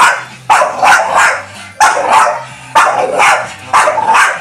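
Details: A black Staffordshire Bull Terrier gives loud, harsh barks, often in quick doubled or tripled bursts, separated by short pauses over about four seconds.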